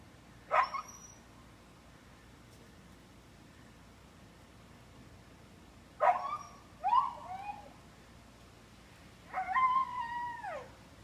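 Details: Three-year-old Siberian Husky named Big Guy screaming when tied out, sounding like a little girl; three bursts of high, wavering, harmonic-rich wails and yelps, sliding down in pitch, separated by quiet gaps with faint background hum.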